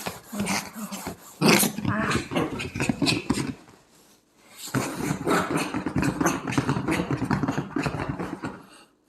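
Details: A three-year-old mini Bichon dog recorded on 19 March 2024 gives rough, noisy growling in two long bursts of about four seconds each, separated by a brief quiet pause.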